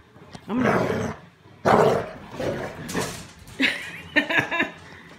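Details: A male American Bulldog growls while guarding his stuffed toy monkey. About five rough, harsh bursts come over five seconds. The last ones turn higher and more whining.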